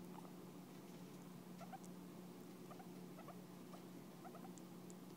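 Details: Guinea pig grooming and licking its owner out of affection, giving faint brief squeaky chirps in small bursts scattered through the recording above a constant low electrical hum.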